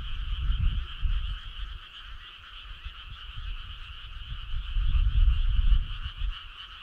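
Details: Summer-night frog calls blend into one continuous, rapid, buzzy trill with a constant pitch, while low thumping rumbles come and go underneath.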